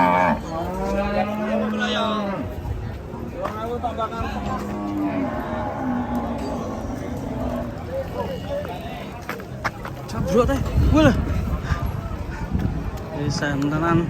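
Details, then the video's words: Raging cattle bellowing in bursts: a long strained low moo opens, followed by shorter wavering calls and a loud rough bellow near the end, with voices and clatter in the background. "KUMPULAN SAPI NGAMUK"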